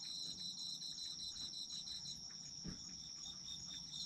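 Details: Autumn insect chorus of layered high trills, one steady and one fast-pulsed, running continuously; a single soft thump sounds near the middle.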